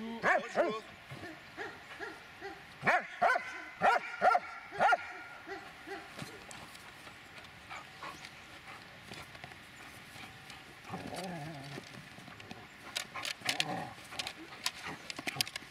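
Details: Eight-and-a-half-year-old Dobermann barking in an irregular burst of sharp barks during the first five seconds, followed by quieter scattered barks and rustling noise.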